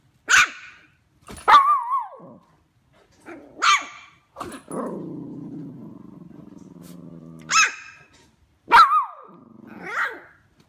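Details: Two dogs, Charlie and Chicken, in a barking contest: sharp loud barks spaced a second or two apart, one drawn-out lower growling howl lasting about three seconds in the middle, then more abrupt barks and a final whining yelp.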